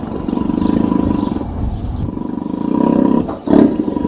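A tiger growls in deep, throaty, rumbling bursts over a soft rush of wind.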